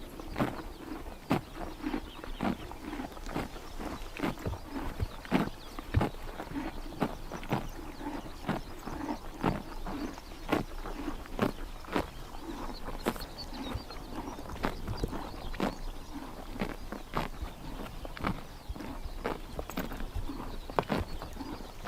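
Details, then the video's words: In Tuv province, Mongolia, horses eat grass on a summer morning, producing a steady run of sharp chomping and ripping clicks, several each second, against a quiet outdoor backdrop. "Horses eating grass in summer morning / chomping noises"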